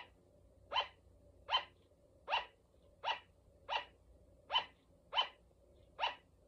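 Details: Female pet sugar glider giving a steady run of short, sharp, yapping barks, each spaced under a second apart.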